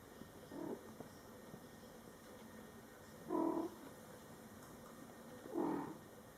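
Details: Mother cat Coco talking to her Scottish Fold kittens, born July 22, 2012, in their first month of life; three short, soft, low meows spaced about two and a half seconds apart against a quiet indoor hum.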